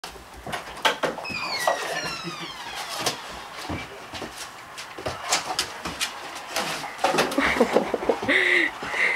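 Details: Lincoln, a 15-month-old Vizsla, greets his owner returning home after six months' deployment: high, wavering whines and yelps slide up and down, mixed with clapping, thumps and excited human voices.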